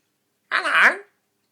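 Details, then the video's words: Skye, a pet dog, snoring her head off while asleep indoors: a single half-second rasping, harmonic snore with a warbling tone, loud against an otherwise silent room. "Dog snoring"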